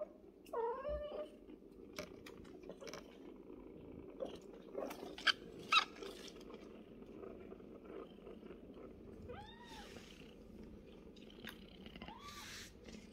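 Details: A mother cat named Bassy among her kittens Yupi, Cola, Fanta, Pepsi and Sprite; several thin, arching meows sound at the start and again near nine and twelve seconds over an even background purr, with occasional sharp taps and rustles.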